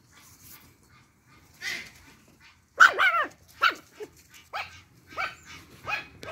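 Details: Four-week-old Pomeranian Toy Pom puppies in a garden: after a quiet start with faint yips, a run of about six sharp, high, yappy barks and whining yelps comes in the second half, spaced roughly half a second to a second apart.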